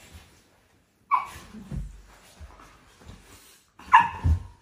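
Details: Cane Corso puppies during a morning sparring routine indoors: two short, sharp yelping barks about three seconds apart, with soft growly grumbles and scuffling between them.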